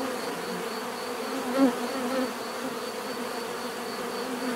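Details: Many bees humming together outdoors, a constant low drone with a short swelling buzz as a single bee flies close, then the even background hum returns.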